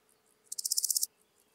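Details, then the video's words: Large Gold Grasshopper (Chrysochraon dispar) recorded at Hirschau, Germany, on 26 July 2019: a single short high-pitched rasping phrase of about nine rapid pulses lasting half a second, rising slightly in loudness, against quiet background. "Chrysochraon dispar -- Große Goldschrecke"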